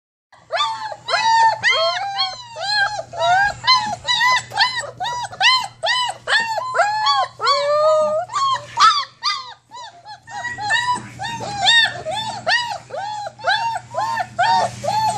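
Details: Litter of 27-day-old German Shepherd puppies whining in their whelping box, eager to get out and play; many overlapping arched, rising-then-falling whines pour out in quick succession, with a brief lull near ten seconds and a steady low hum beneath.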